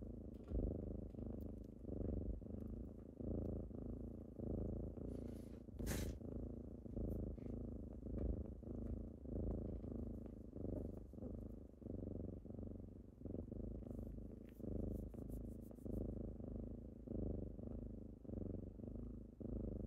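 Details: Indoors at morning, kittens rouse their owner with a thick, low purr that throbs in even inhale-exhale cycles, interrupted once by a short broadband scrape or rustle.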